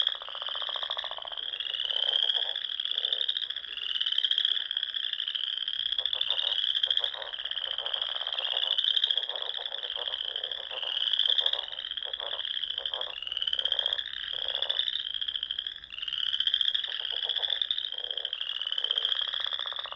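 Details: Frogs singing in spring at dusk among ponds in the rolling dunes of the Sandhills of Nebraska; a dense, continuous high trilling chorus of many callers, swelling and fading in waves, with lower pulsed croaks repeating beneath.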